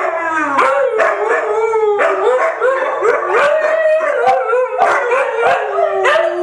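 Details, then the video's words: Three white huskies howl together in a group sing-along, several overlapping long wavering voices rising and falling, some sliding upward, with strong harmonics and a continuous chorus throughout, no pauses between howls. "Three Howling Huskies"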